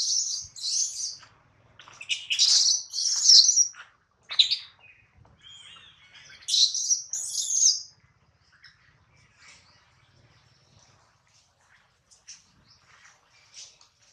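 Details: Baby monkey Adler, held in the hands of a small monkey, crying because he misses his mother and is hungry; shrill, high squealing cries come in loud bursts over the first eight seconds, then fade to faint scattered squeaks.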